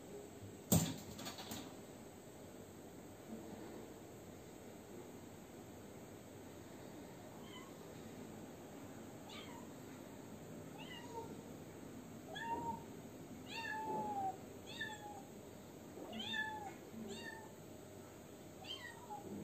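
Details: Indoor kitten meowing into a broken washing machine after asking for its door to be opened, with cat Meimei nearby. Quiet start, then a run of short, bending meows from about midway, repeated every second or two, with steady background hum.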